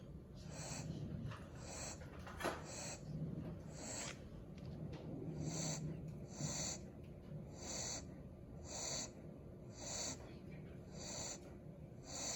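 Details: Puppy passed out asleep after a few hours of playing and walking outside, snoring in soft, breathy bursts that repeat about every second or so, around ten in a row, over a steady low background hum.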